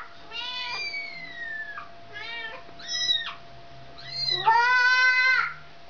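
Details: Indoor meowing as a mother cat reclaims her kitten from a child: a long, gently falling meow opens, followed by several shorter rising-and-falling meows and a final loud, sustained, strongly harmonic meow.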